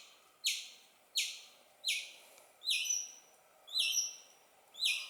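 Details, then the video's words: Young squirrel calling to its mother with loud chirps, six sharp high notes spaced under a second apart, the later ones carrying a thin whistled tone on top. "Tiếng sóc con kêu - Sóc con kêu mẹ"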